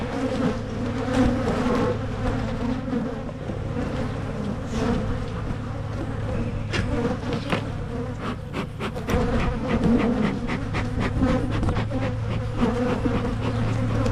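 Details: Colony hum of honey bees as Michigan hives are split to prevent swarming; continuous buzzy drone over a deeper steady hum, with sharp taps and knocks from hive work in the second half.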